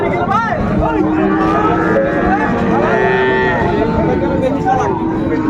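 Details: Sahiwal bull calves at a cattle market in Chattogram, Bangladesh, 17 January 2025: several low, drawn-out moos with bending pitch rise over steady crowd murmur and people haggling over prices.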